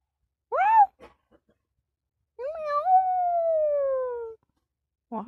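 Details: Indoor kitten producing a short rising meow, then a drawn-out meow lasting about two seconds that slowly falls in pitch, with a brief further meow at the end and a few soft clicks between.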